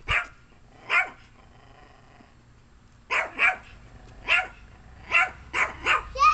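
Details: Domestic dog barking while guarding a plate of chicken: two barks, a two-second pause, then a quickening run of six or seven sharp, clipped barks, faint background hum.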